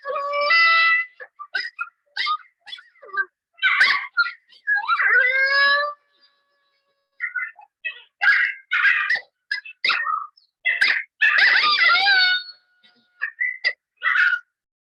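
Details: Trail-camera recording of probably two or three coyotes howling, not related to hunting. They give a group chorus of high, wavering howls broken by sharp yips and quavering barks.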